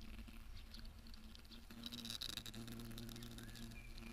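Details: European hornets (Vespa crabro) raiding wasps at sweet fruit in a summer garden: a steady, low droning hum with layered overtones runs throughout and shifts pitch slightly partway through, with faint higher whines above.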